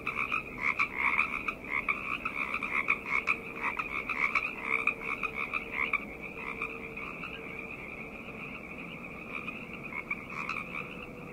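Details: Night chorus of many frogs, a dense overlapping stream of croaking pulses centred in a bright high band, louder over the first six seconds and then thinning and softening; a faint steady low hum runs underneath.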